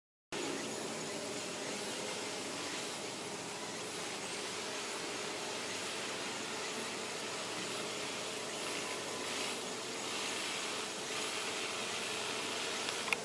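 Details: Western honey bees (Apis mellifera) at a hive in August make a steady, dense buzzing hum with a faint low drone beneath; no predatory hornets are present.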